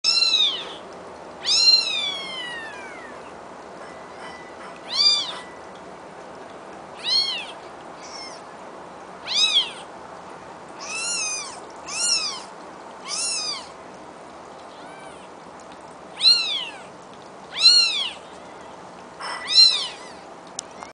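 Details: Two-day-old kittens, born 7 April 2012, calling with high, thin meows that arch up and fall. About a dozen separate cries come in bursts every one to two seconds over a quiet background.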